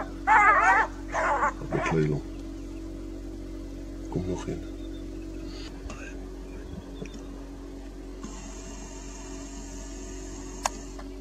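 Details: Two jackals in a standoff with a caracal give three quick bursts of high, quavering, whine-like yelps early on. These are followed by a few faint knocks and a long stretch of quiet background hiss.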